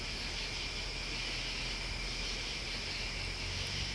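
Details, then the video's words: Crickets and bugs keep up an unbroken, even, high-pitched hiss-like trill, with faint low background rumble beneath. "Listening to Crickets and Bugs"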